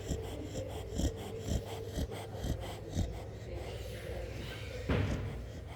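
A sleeping Chow Chow snores in low, rough breaths that repeat about twice a second.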